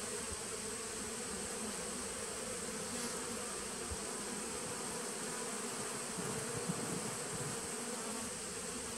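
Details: Steady droning buzz of a honey bee nucleus colony from 2017, recorded 19 September 2018; the hum swells slightly toward the end, with a few faint knocks and a constant thin high whine.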